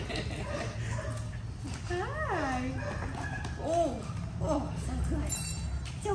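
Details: At his reunion with his owner, Hopper the Greater Swiss Mountain Dog gives several short arched whines, one high and rising then falling, and later a brief squeaky one. Over them, a woman coos affectionate words.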